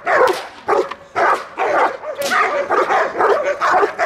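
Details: Belgian Malinois on guard duty for its owner, bodyguard-dog training in Dyukovsky Park, Odesa, Ukraine; rough, hoarse barks run together with little gap, some drawn out and strained, in a dense agitated burst.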